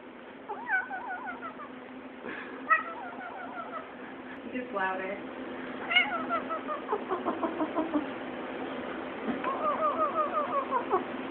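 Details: Cat yodeling: a run of short wavering, warbling yowls that rise and fall in pitch, given in bursts with brief pauses, including a louder sharp note near three seconds and a tremulous series toward the end.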